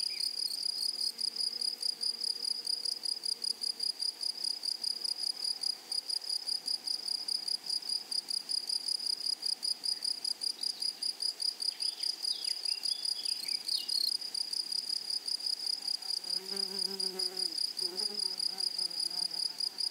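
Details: Meadow grasshoppers sustain a high, buzzy, rapidly pulsed trill throughout. Brief bird twitters break in around the middle, and lower warbling notes show up near the end over the constant insect sound.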